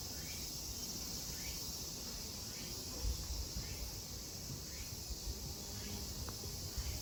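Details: Cicadas at Kozoji Temple (Takakura Kannon) in Yana, Kisarazu, Chiba, Japan: a continuous, shrill high-pitched drone with faint upward chirps repeating roughly every second, over a low outdoor rumble.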